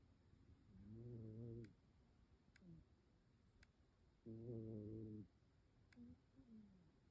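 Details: Domestic cat snoring hard while asleep in a person's lap indoors: two long, low, buzzing snores, each about a second, about three seconds apart, with soft shorter breaths between them.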